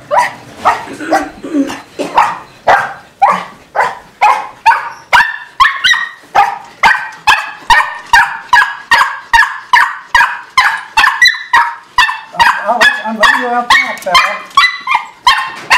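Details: Bella, a two-year-old pet Miniature Pinscher, barks frantically as she gets ready to be let out back, a rapid stream of sharp, clipped barks about two per second, steady throughout, with faint whimpering under the last few.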